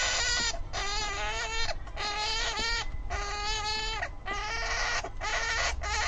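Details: Syrian hamster making an angry noise, a run of six shrill, buzzy screams of up to a second each with only short pauses between them, over a constant low hum.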